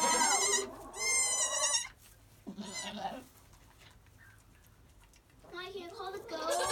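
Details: Newborn Nigerian Dwarf goat kids Pip and Pearl, an hour old, tiny twins recorded in July, giving shrill wavering bleats in short bursts separated by quiet pauses, with a person speaking softly nearby.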